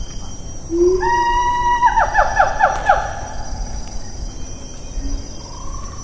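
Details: Siamang, Taman Negara National Park, Malaysia, recorded 4 April 2019 in rainforest: a short rising note, then a loud drawn-out harmonic wail that breaks into quick pulsed notes and fades, followed by a softer hoot and steady insect hum.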